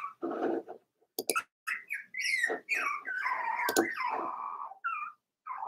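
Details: Four-week-old Cavalier King Charles Spaniel puppies from Daisy's litter in their indoor puppy pen, giving drawn-out high whines that waver and slide, overlapping into a near-continuous chorus broken by short squeaks and a few brief clicks.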